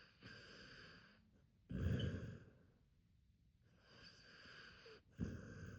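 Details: Snoring Akita named Hachi, deep sleep: rhythmic rough breaths alternating with louder rattling snorts, a pause of near silence between them.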